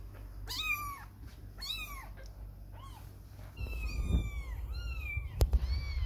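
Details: Little kittens spending their first time away from their mother; several high bent meows early on, then longer wavering cries as low rumbling noise and a sharp click rise in the background.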